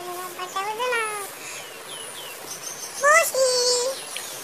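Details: Kittens give clear, high mews: a drawn-out cry that slides downward, then a pause, then a louder, sharper rising mew ending in a level tone. Faint high chirps sound above.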